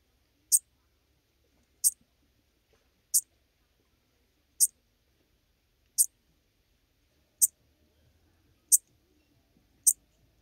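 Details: Schmidt's marbled bush-cricket (Eupholidoptera schmidti) singing near Venezia, Italy, on 2 September 2021: brief, sharp, very high-pitched chirps repeated steadily about every 1.3 seconds, eight in a row, over an otherwise quiet, noise-cleaned background.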